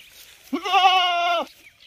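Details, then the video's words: Unsettled goat, normally living in a cooled room and brought to a field today, gives a single sustained, steady, nasal bleat lasting about one second in quiet surroundings. "Goat Sound | Goat Sounds - बकरे की आवाज | Bakre Ki Awaaz"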